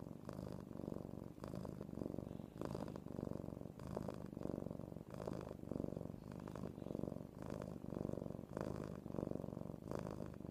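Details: Hard purring from a cat being spooned indoors, a continuous deep rumble in rhythmic breath cycles, roughly one per second, with a faint rustle between some cycles.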